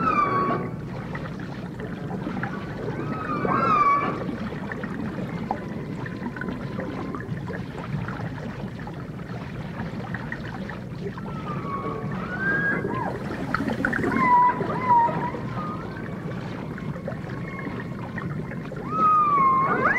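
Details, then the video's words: Dolphins in a 1989 full dimensional stereo recording of dolphin and orca sounds: scattered thin whistles sweep up and down across twenty seconds, some looping, over a steady rushing underwater wash and low rumble. "The Enchanting Sounds Of Dolphin Song (Dolphins & Orcas)"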